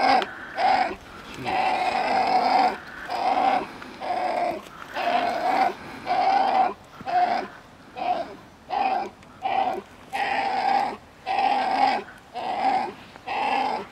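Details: Coyote pups vocalizing to their mother with a string of uneven, raspy whimpers and whines, some drawn out and some clipped, coming about once a second in an irregular, chattering rhythm.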